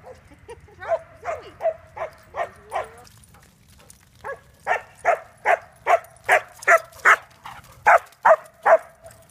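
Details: Puppy on a barking chase: rapid, evenly spaced high barks, roughly two to three per second, in a long run of about twenty, briefly pausing midway, with low rumbling background noise.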